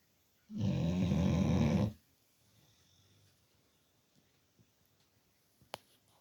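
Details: Bulldog named Teddy snoring his head off while fast asleep: a single loud, rough, vibrating snore near the start, followed by quiet soft breathing and a sharp click.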